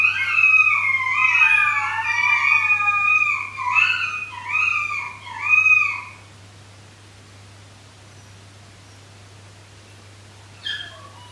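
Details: Three 13-week-old Shetland Sheepdog puppies howl together at night in high, wavering tones that rise and fall over one another; one awake pup, seemingly lonely, started, then all called for their pack.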